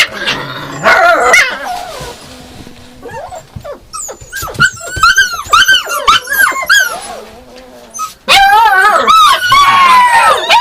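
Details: Yakutian Laika giving a fast run of high, arching whines and yelps, overlapping and uneven, with a quieter stretch mid-way before a loud burst of wavering, yodel-like calls at the end.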